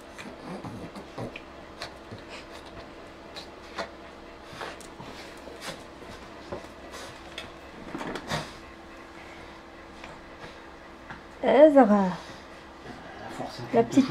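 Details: Zara, a pet Shih Tzu indoors, asks for her new octopus toy while being urged to ask for it: a loud, tonal whine that falls in pitch, with short softer whimpers, panting and rustling throughout.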